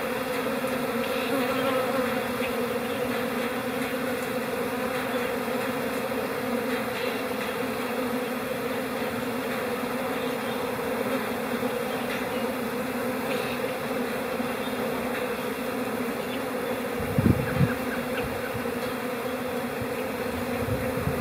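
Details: A calm honey bee colony in spring, April, humming in an even, layered drone for the whole stretch, broken once by a short low knock late on.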